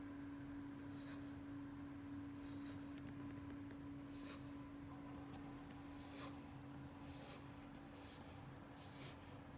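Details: Wolfie, an 8-week-old Beagle puppy, asleep in a superman pose and snoring: soft, breathy, hissing bursts recur roughly every second and a half over a steady low hum in a small room.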